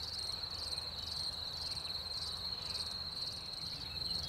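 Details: Crickets singing in spring after the rain, a steady high shrill trill with faint pulsing, harmonics above, continuous throughout against a low background rumble.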